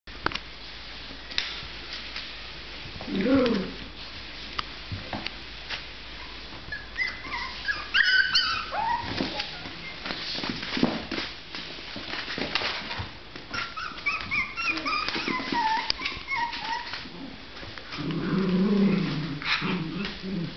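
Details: A litter of six-week-old Miniature Pinscher puppies fills a small room with high, whiny whimpers and yips that rise and fall in short bursts, with occasional deeper, rougher grumbles or bark-like notes.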